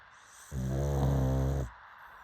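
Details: A pug lets out one sustained, deep, buzzy snore lasting about a second, rough and low-pitched, with quiet before and after.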